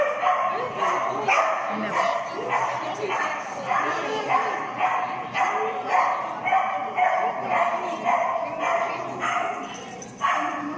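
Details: Mindy, a Finnish Lapphund, running a class C jumping agility course at PAWS on 3 October 2020; steady volley of bright barks roughly twice a second, alongside human voices.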